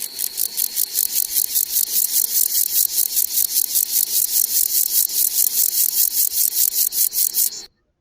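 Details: A grasshopper sings a high, dry series of rasping pulses, about three each second, calling to other grasshoppers.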